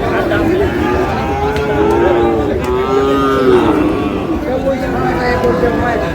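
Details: Sahiwal bull calf at a cattle market in Sirajganj, Bangladesh: low, drawn-out lowing moos, several overlapping and wavering, amid constant crowd murmur and market noise.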